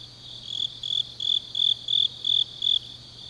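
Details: Autumn grass insects at night in Changnyeong, Korea, giving clear high chirps in even pulses roughly every third of a second over a soft continuous shrill, with a faint low hum in the background.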